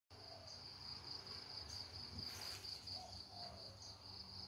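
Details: Cricket heard at a rustic countryside home among natural sounds: a steady, high, finely pulsed trill runs unbroken through the whole stretch, with a faint low rumble beneath.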